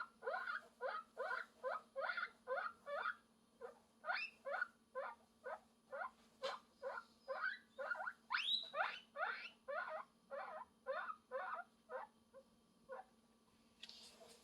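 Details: Guinea pig calling for love: a long run of short, squeaky, upward-swept squeals repeated about twice a second, with a few longer, higher rising squeals midway, over a steady faint low hum.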